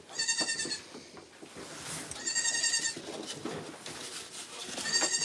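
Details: Goat bleats from a farm: thin, high-pitched, buzzy cries repeated about every two seconds, three calls in all, over a steady rumbling background.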